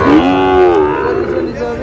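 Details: A single Sahiwal bull calf at a busy cattle market, 20 August, Tangail buyers present: one clear, harmonic moo slides gently upward and then tapers off, with murmured bargaining in the background.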